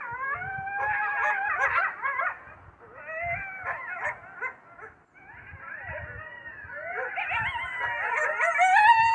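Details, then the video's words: Several coyotes yipping and howling together, a dense chorus of quavering, rising and falling cries and quick yelps, swelling louder toward the end. "coyote sound effects"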